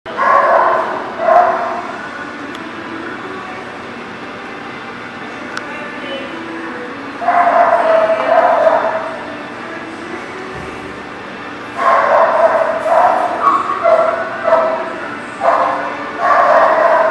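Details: Dogs in a lot on April 27, 2018, giving bursts of loud, tonal barking and yipping in three clusters, around the start, at about seven seconds and from twelve seconds on, with quieter background stretches between and faint human voices.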